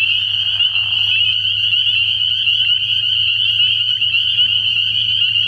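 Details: Early-year night at a frog pond, where massed spring peepers call. A continuous high-pitched ringing of overlapping peeps sits above a steady low hum, with a short lower rasp near the start.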